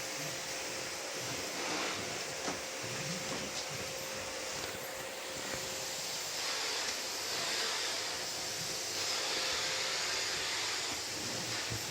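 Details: A vacuum cleaner roars steadily indoors, a broad hiss with a thin constant whine, and no animal voice comes through.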